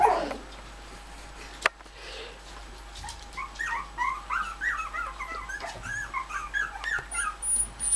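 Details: Bichon Frise puppies while their mother comes to visit them: many short, high, thin whimpers and squeaks in quick irregular bursts through the second half, after a sharp click and quiet room sounds at the start.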